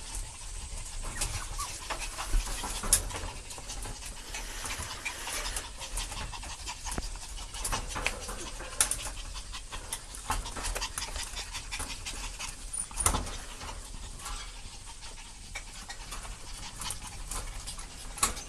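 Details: A parent dog and its puppy, overjoyed and excited, pant rapidly and steadily in quick breathy bursts throughout, with scattered scuffling and clicking patter of movement close by.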